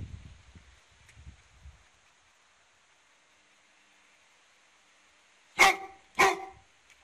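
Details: Newfoundland dog fighting off a wild animal while defending its home, giving two loud, sharp barks about half a second apart near the end after quiet low rustling.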